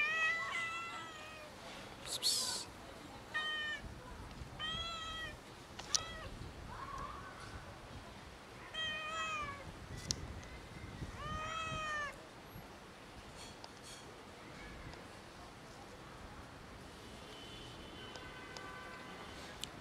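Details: Family of cats meowing to beg for food: repeated harmonic meows, arched and rising-falling, several overlapping, coming every second or so through the first twelve seconds, then softer calls, with rustling and clicks between.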